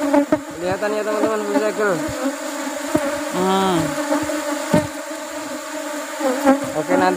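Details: Asian honey bee colony disturbed during harvest in rubber flower season: a continuous low drone of many wings, with a close bee's wavering whine around the middle and scattered clicks from handling the hive.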